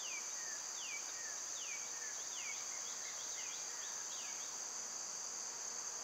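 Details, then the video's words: A steady, high cicada drone in summer runs beneath a bird's repeated falling whistled notes, each a quick downward slur, given about once a second. "Cicada sounds"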